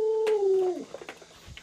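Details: Indoor pet Alaskan Malamute Lolo, irritated when its owner pretends to eat dog-meat hotpot, lets out a short steady whine that slides downward and fades, followed by faint household noises.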